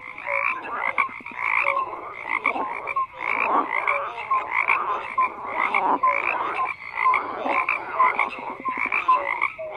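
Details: Crowded frog chorus, pulsed raspy croaks repeating in quick bursts with brief gaps, a bright high band above and short tonal blips mixed in, no other sounds.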